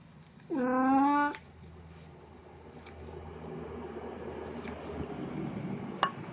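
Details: Puran, a pet cat in a Snow White costume, filmed indoors on 1 April 2017 at an encore of her birthday-party cosplay, gives one clear rising-then-level meow about a second long, followed by a quiet room with faint ticks and clicks.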